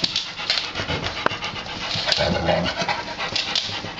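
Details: A new puppy plays with other dogs. Fast, noisy panting and scuffling go on throughout, with a brief low whine-like tone near the middle and a few sharp clicks.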